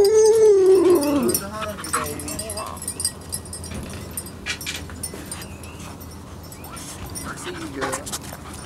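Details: Puppies from the Biscuit Bentley litter at morning playtime, one giving a high, wavering whine that slides downward over about a second, followed by softer rustling, scattered clicks and a woman's cheerful greeting.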